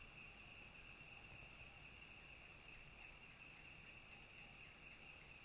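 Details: Quiet, unbroken high-pitched drone from a cicada, a flat, steady hiss-like tone with a fainter lower band, continuing without pause against soft background rumble.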